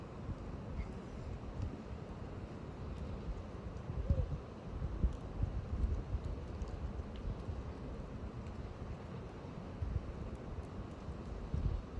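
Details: Steady low rumble of wind or traffic fills the recording, with scattered knocks and thuds. No clear animal call stands out.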